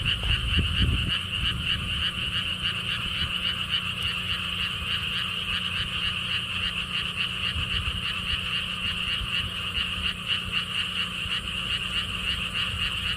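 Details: Frogs in a lotus pond at a theme park in Siheung, Korea. A loud handling or wind thump opens the recording, then a continuous chorus of fast pulsed croaks follows, steady and dense, with low wind noise beneath.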